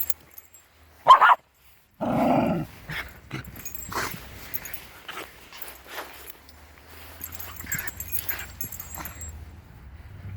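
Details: Shiba Inu puppies five weeks old at play outside with grown Shibas: a sharp short yelp near the one-second mark, then a longer rough growling bark, followed by quieter scattered yips and rustling of paws.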